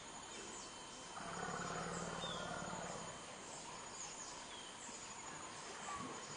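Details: African forest elephants: two males clash at Dzanga Bai, Central African Republic, as an adult male advances on an older bull. A harsh, broad scream swells for about two seconds over a low tonal rumble, with steady forest insect buzz behind.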